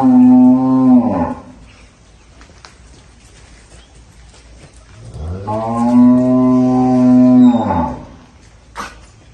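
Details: Young Indubrasil bull, son of Sansao, on a farm in El Salvador, giving two long harmonic moos, the first about a second long and the second about two and a half seconds, each with a falling tail, separated by a quiet pause with faint clicks.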